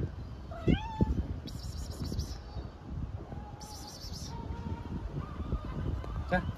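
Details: Stray kitten living with its family in a truck bed on the streets of Istanbul: a sharp upward-sweeping mew, then several shorter mews, over rumbling street noise with a person calling nearby.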